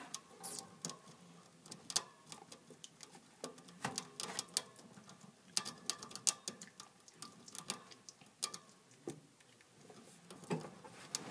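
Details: Noisy eating by a hamster: a steady stream of crisp, dry clicks and crunches, irregular and rapid, some louder snaps standing out throughout.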